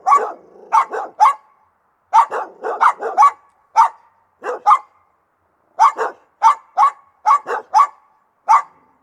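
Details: Aggressive Rottweiler barking in sharp, clean single woofs, often in pairs or triplets, about a dozen bursts over several seconds with quiet between them.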